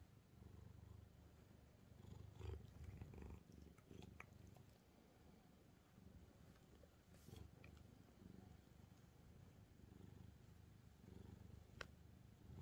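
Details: Resting on a stack of books, calico cat Angttu keeps up a low, rolling purr with quick pulses, overlaid by scattered small clicks and rustles of fur or pages.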